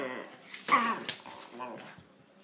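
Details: Playful dogs, a pitbull named Kaiser and a King Charles spaniel named Viki, in a small room. One short, gruff bark-growl stands out, followed by softer whining grunts that fade away.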